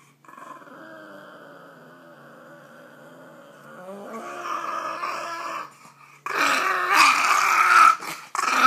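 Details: Grumpy Boston Terrier growling: a low steady rumble for about four seconds, then rising into louder, harsher grumbling noises with yip-like bursts toward the end.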